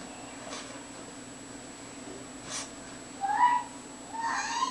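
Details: A male Lhasa Apso lying in the sun gives two brief, high, rising whine-like yelps in a quiet room during one of his "happy fits", when he gets so happy he goes a little crazy.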